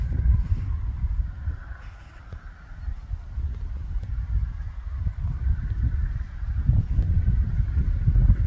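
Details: Red deer. Low, throaty roars from red deer stags rumble through the recording, with a rough, drawn-out honking quality. The bellowing comes from rival males in the rut, over a heavy low background rumble.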